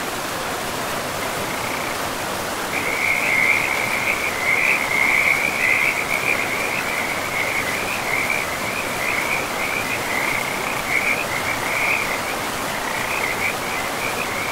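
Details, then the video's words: Frogs calling by a river deep in a pristine forest of moss-covered land; after a couple of seconds a dense run of rattling, chirping croaks starts and keeps going almost without pause, over a steady rush of flowing water. "River and Frogs sleep sounds"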